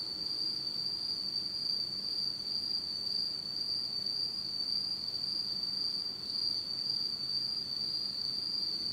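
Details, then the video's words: Autumn night insect chorus in Japan, recorded in complete darkness; one constant shrill ringing tone runs without pause, with a faint upper harmonic and quiet low rumble beneath. "真っ暗闇の秋の虫の声 Beautiful sound of insects in the fall of Japan in total darkness."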